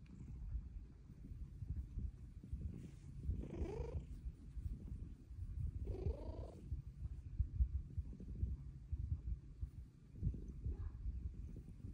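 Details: Luna, a pet cat, purring steadily in a deep continuous rumble while meowing for pets, two rising, drawn-out meows near four and six seconds, indoors with quiet background.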